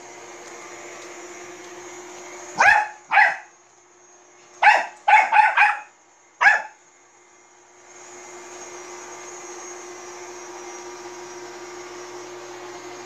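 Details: Bichon Frise dog barking at a robot vacuum indoors: six sharp, harsh barks in two loose bursts, the last more isolated, followed by a steady mechanical hum from the running vacuum.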